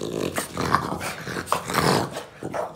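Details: French Bulldog left home alone, reacting to its owner's return after less than 25 minutes; rough, grumbling growls in short bursts, interleaved with the owner's speech in a small room.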